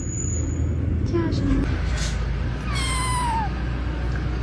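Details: Kitten giving one short meow that slides downward over under a second, with steady low rumbling background noise and faint human talk nearby.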